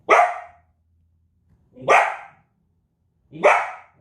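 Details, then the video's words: Loud, rough barks from a Belgian Malinois, three single barks spaced roughly one and a half seconds apart, each with a sharp attack and quick fade. "Extreme Barking | Belgian Malinois"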